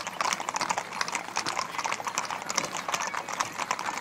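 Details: Ridden horses at a gathering of over 80 mounts near the Ermita de la Aurora, Villanueva de la Serena, Spain: crisp, rhythmic clip-clop of several hooves in quick succession, with faint voices in the background.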